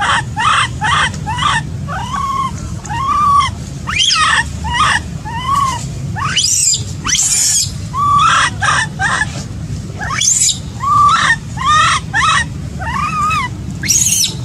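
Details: Baby macaque abandoned by its mother, crying: a long run of arched, tonal wails, each rising then falling, repeated roughly every second with strong overtones and brief harsher squeals between, over a low steady rumble.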